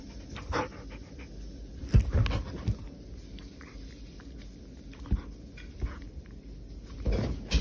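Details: A pet poodle playing at home during coronavirus self-restraint from travel outside its prefecture gives short, rough panting huffs near two seconds and again near seven seconds, with a few faint breaths between, against steady low indoor background noise.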